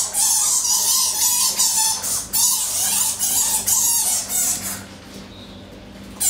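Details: Egyptian fruit bats held at Paradise Wildlife Park, Broxbourne, February 2012, sparring in daylight: near-continuous shrill chattering screeches pulsing several times per second with a steady squeal beneath, then dropping to quiet.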